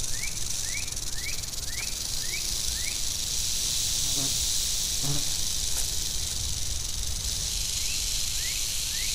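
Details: An angry western diamondback rattlesnake rattles nonstop in a sustained high, sizzling buzz. Short rising chirps repeat about every half second in the background at the start and end, with faint low knocks in the middle.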